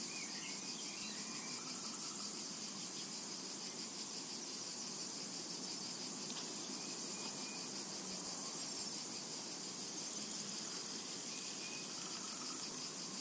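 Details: Steady summer-meadow ambience of cicadas: an intense, high-pitched electric buzz with quick rhythmic pulses, continuous throughout, a few faint distant bird notes beneath.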